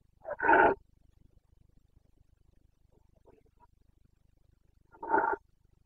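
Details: Red deer stag in the Carpathians of Bucovina during the rut, 29 September 2022, giving two short, rasping roars about five seconds apart, with near silence between them.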